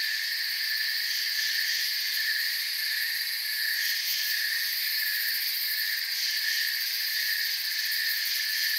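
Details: Forest ambience of crickets chirping en masse, their high buzzing trills overlapping into an unbroken drone with faint rhythmic pulsing, steady in volume throughout.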